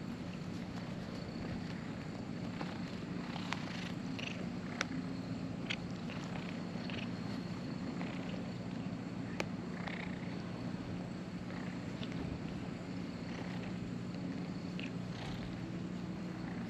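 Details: Stray cat near the ferry landing on a cat island, making a steady, low, droning purr that runs unbroken through the whole stretch, with faint scattered clicks and a few short higher tones above it.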